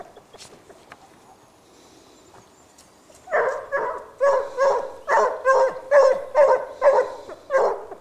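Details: Pack of Basset Hounds from a French breeding line working a scent trail: quiet start with faint yelps, then a rapid run of about nine loud, resonant bays, several dogs overlapping in a tumbling chorus.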